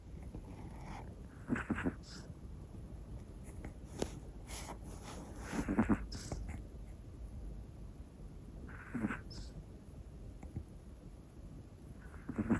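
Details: A sleeping black Pomeranian female named Hana, one year old, gives irregular raspy snores and snuffles, some doubled, spaced about three to four seconds apart against a low steady background hiss.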